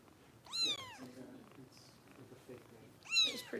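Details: Female foster kitten being bottle-fed by Kitten Rescue volunteers in Los Angeles, her belly a little bloated; two high, thin meows, each sweeping sharply up then down, about two and a half seconds apart, over faint room noise.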